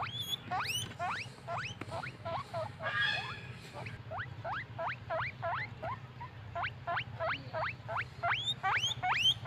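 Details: Happy pet guinea pigs wheeking and squeaking: a rapid, irregular run of short, sharply rising whistled squeaks, some sweeping very high, about nearly three per second, over a steady low hum.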